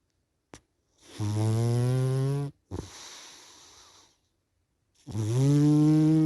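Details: After a small click, a dozing cat gives a loud, buzzing, nasal snore that climbs slightly in pitch, then a fainter breathy exhale, a gap of silence, and another strong rising snore.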